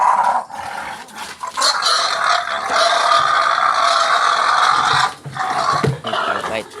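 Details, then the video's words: Wild pigs inside a house, giving loud, harsh, sustained squealing screams that run for several seconds, broken by brief pauses near the middle and end, with a few low grunts and voices underneath. "Wild pigs, number one brave in my house."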